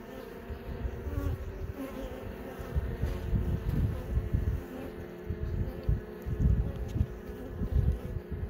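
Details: Hive of honey bees opened for inspection as young bees emerge from their brood cells; dense low buzzing hum rising and falling in strength throughout.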